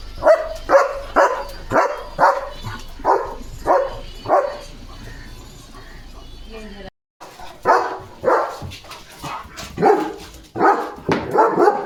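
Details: Guard dog Leo, a German Shepherd, barks at a sheep herd passing the gate: a steady run of seven punchy barks, a short pause, then another irregular burst of barks, with a person speaking nearby.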